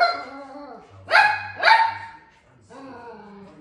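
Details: A toy poodle barks angrily at a caribou on TV, giving two sharp, high barks in quick succession, agitated.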